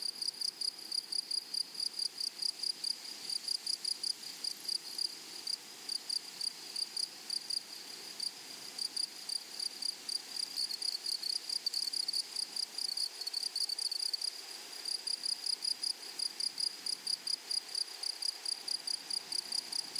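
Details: High, rasping insect chirps from grasshoppers in a flowering prairie meadow, pulsing rapidly and regularly, with a brief dip in the rhythm midway before the quick repeated pattern resumes over faint background hiss.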